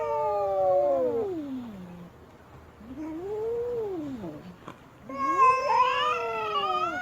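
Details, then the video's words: Wailing yowls from an unhappy female cat: a long falling moan, a rising-and-falling arched cry, then a sharp rise into a loud, strained, sustained howl. "เสียงแมวตัวเมีย ร้องโหยหวน กระทืบเท้าไม่พอใจ"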